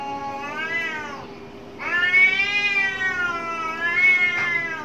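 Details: Angry cat during a fight behind a home lets out a short bent cry, then a long sustained harmonic howl that wavers and holds its pitch, over a faint steady hum.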